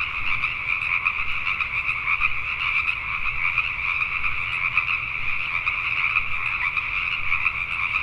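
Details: Night chorus of Pacific tree frogs in Richmond, British Columbia, Canada, many frogs croaking at once in an unbroken wall of quick, raspy pulses, steady in loudness, over a faint low hum.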